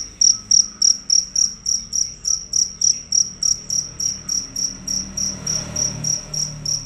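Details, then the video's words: Loud fierce cricket producing continuous shrill chirps, about three per second, strong at first and gradually softer toward the end, over low background rumble. "Jangkrik ganas dan suara keras tanpa putus"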